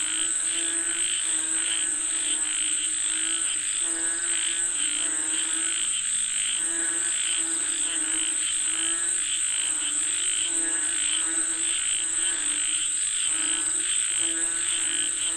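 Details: Frogs calling for rain, Thailand: a dense chorus of pulsed, harmonic croaks throbbing steadily throughout, over a bright continuous high-pitched hiss and a steady shrill whine.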